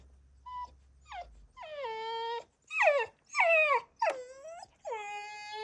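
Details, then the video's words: Bulldog puppy having a tantrum, crying in a run of drawn-out, wavering whines and sharp yelps, each dropping in pitch, about six cries in under six seconds, with brief soft music at the start. "Bulldog puppy has a tantrum"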